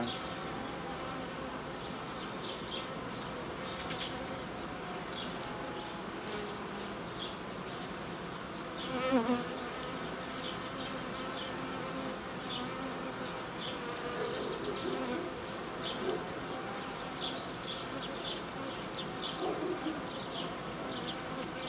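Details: Honey bees at an apiary during colony uniting and replacement of old queens with young ones; a steady dense hum from many bees with brief louder passes by single insects.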